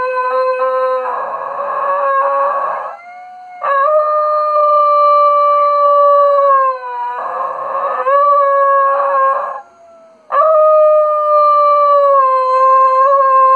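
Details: A Schnoodle howls at home in long, steady, mournful tones that dip and level off, howling in sympathy with a lost Arctic wolf pup on a TV nature programme, with television music and narration behind.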